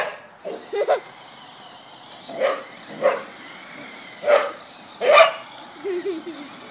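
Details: Female Border Collie chasing a remote-control car and trying to bite its tires: five short, sharp barks spaced irregularly over several seconds, with a faint whining motor in the background.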